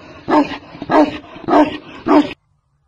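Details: Barking from a Tibetan mastiff, the giant Chinese breed: four booming woofs at even intervals, then abrupt silence.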